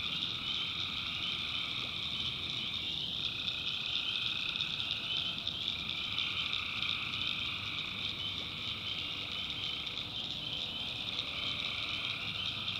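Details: Tree frogs calling at night in a swamp in the backwoods of North Carolina: a dense, unbroken chorus of high trilling in steady bands, and a lower band that fades in and out as callers join and drop away.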